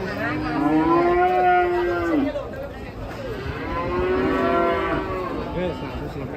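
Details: Cattle coming down off a truck: two long, deep moos, the first sliding upward and held about two seconds, the second lower and wavering, with a faint low rumble beneath.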